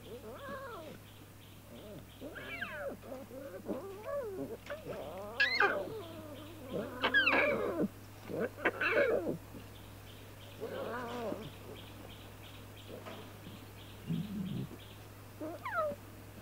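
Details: Lion cubs playing together in the wild call repeatedly with rising and falling, wavering mews, some strained and squeaky, spaced a second or two apart, over a constant low hum.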